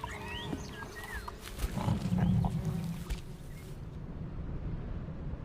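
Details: European bison from an international breeding programme, part of a herd roaming the shores of Lake Koppelin in Germany; a deep, rumbling low grunt lasting about one second, with bird calls and soft music in the background.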